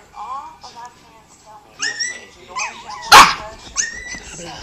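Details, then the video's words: Pet dog crying in response to another crying dog: short whining cries and a single sharp yelp, with a woman talking in Spanish nearby. "My dog cries to another dog crying"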